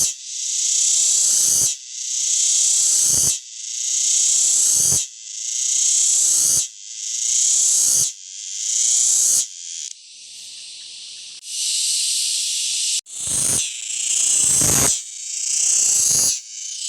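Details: A captured male cicada gives loud, hissing buzzes in bursts of about a second and a half, separated by brief pauses, produced by vibrating the tymbals on its abdomen.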